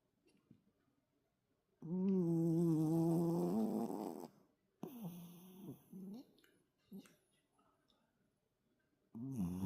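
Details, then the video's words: Toto, a heavy-snoring toy poodle, sleeping soundly after energetic play: a loud two-second tonal snore, followed by shorter wavering snorts and breaths, and another snore starting at the end. "토이푸들- 코골이가 심한 귀여운 강아지 토토"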